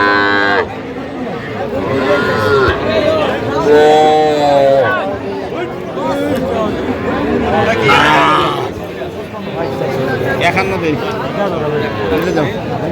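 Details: Young bulls and heifers being bargained over at a Feni cattle market on 15 November. A steady, low, droning moo rises above the crowd around four seconds, amid constant men's talk and haggling voices throughout.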